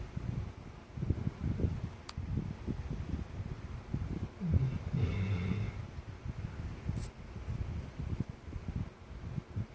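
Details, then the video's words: Labrador Retriever named San-i, asleep indoors and snoring after playing hard, with low, rumbling snores pulsing steadily throughout, one louder snort midway and a faint fan-like hum in a small room. "레부라도리트리버산이 코골이 소리"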